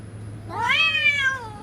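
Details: Cat in a threatening standoff with another cat gives a single loud, rich yowl that rises quickly, holds, then falls slightly, lasting about one second.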